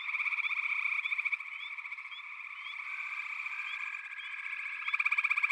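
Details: Many frogs calling together in a backwater, a steady wash of rattling pulsed trills with scattered quick rising chirps; pulses are stronger at first, ease off mid-clip, then a loud, fast rattle starts near the end.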